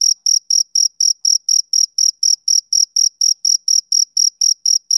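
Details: A male cricket chirps through a summer evening, giving shrill, evenly spaced chirps roughly four per second, each short and crisp, nothing else heard.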